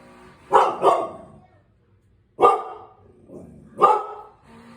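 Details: A Cane Corso barks at unfamiliar noises as someone works on the garage: a quick double bark, a pause, then two more single deep barks with faint rustling between.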